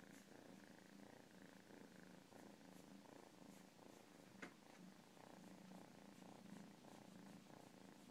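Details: A cat's continuous low purr, an even, throbbing rumble pulsing in a steady rhythm from start to finish, soft and intimate, with one brief sharp click near the middle.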